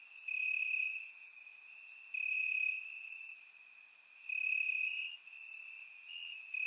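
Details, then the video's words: Nighttime cricket chorus from Bulgarian summer grass, surround-recorded on a warm night; a continuous shrill trill underlies irregular louder pulses lasting about a second, with sharper high ticks scattered through. "Cricket Sounds - Crickets Chirping at Night"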